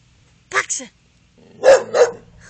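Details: After the spoken Dutch command "pak ze", an English Bull Terrier performs a trained trick, giving two harsh, deep barks about a third of a second apart, then a low rumbling growl; the dog is friendly, wagging happily.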